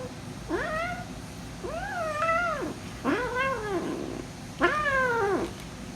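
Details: Hungry female kitten, protective of her food and noisy while eating, gives four loud, drawn-out meows, each rising then falling, spaced roughly a second apart, over a low background rumble.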